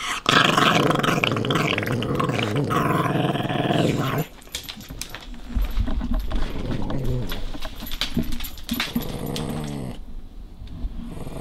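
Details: Small dog fiercely guarding his favorite bone from a young playful puppy indoors: a loud, sustained snarling growl for about four seconds, then quieter broken growls and scuffling.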